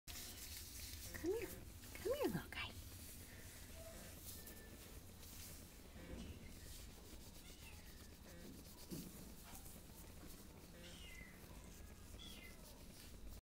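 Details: A cat gives two short, arched meows close together near the start. Afterward only low rustling and faint background noise remain.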